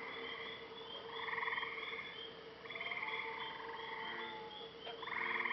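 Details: Nighttime lakeside frog chorus in Maine: swelling buzzy trills in pulses, a faint falling whistle midway, a brief click near the end, over a steady low hum.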